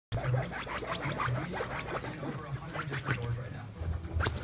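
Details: Male Boston terrier lying comfy on a couch, exhausted, making continuous snuffly snorts and low grunting breaths, with rough nasal bursts repeated irregularly across the few seconds.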